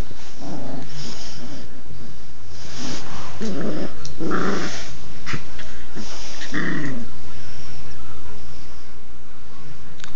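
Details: Two standard poodles, Cocoa Puff and Oreo, on their first day home, growling while playing: rough low growls and snorts in bursts through the clip, over steady indoor background noise.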